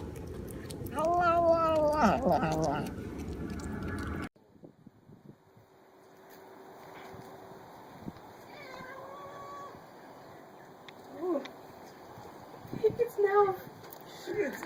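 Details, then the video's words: Cat giving one wavering, tonal meow lasting about two seconds over a noisy indoor background, followed by near silence with a few faint, short rising chirps and scattered knocks. "Cat's strange sound"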